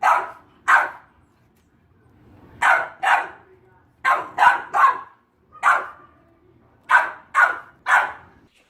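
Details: Boxer dog barking in short bursts: single and paired sharp barks, then a quicker run of three and later another cluster of three, separated by brief quiet gaps.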